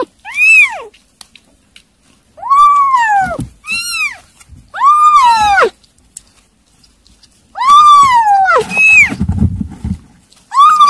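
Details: Kittens eating weaning food call out in a run of about eight bright, bending meows, some short and some drawn out, spaced irregularly over eleven seconds, with a brief low rumble between.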